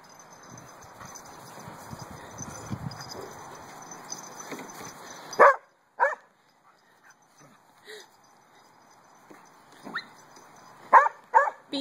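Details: Pet dog indoors during puppy play and zoomies, giving a few sharp, short barks in two spaced bursts after a stretch of low rustling, with people talking and urging the dogs on.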